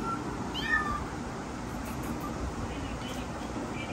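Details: Frightened newborn kittens, born 15 September 2022: a few thin, high mews that rise and then fall in the first second, followed by quiet, all over a steady broadband rumble and hiss.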